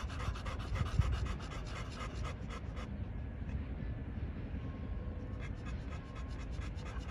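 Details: American Bully pocket dogs from a Romanian kennel panting, fast rhythmic breathy puffs through the first three seconds, then quieter steady breathing with low background rumble.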